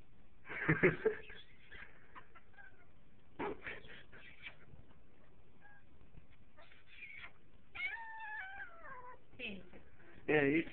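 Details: Indoor male pet cat producing odd sounds: brief scratchy bursts, then a long undulating, trilling cry that slides downward in pitch, followed by a loud burst of noise near the end.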